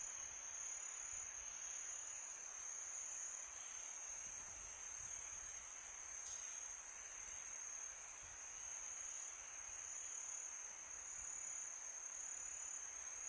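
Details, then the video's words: A peaceful summer night with crickets giving a dense, high, continuous trill, one short click near the middle, and low wind hiss throughout. "Crickets sound for meditation"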